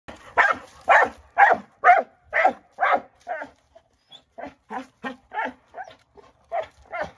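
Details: Moose, a dog, goes berserk rolling his rock of the day around, letting out a steady series of sharp barks about twice a second, broken by a short pause midway.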